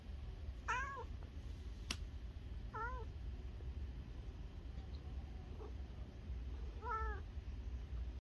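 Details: Cat hiding in a toilet, giving three short, wavering meows spaced two to four seconds apart, over a steady low hum with a single sharp click early on.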